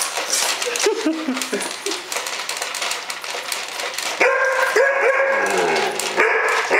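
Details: A six-month-old Alaskan Malamute, meeting a Robosapien toy robot, gives harmonic, sliding whines and drawn-out yodelling moans over background noise.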